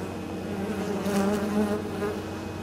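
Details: Honey bees flying in with pollen and nectar at a hive on 23 October during exceptionally mild weather: a steady low hum, swelling midway as a nearby bee passes with a louder, slightly rising buzz.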